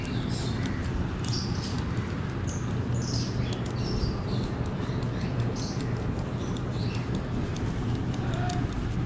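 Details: Three young rabbit brothers eating very noisily: rapid dry crunching ticks scattered over steady, loud low rumbling background noise.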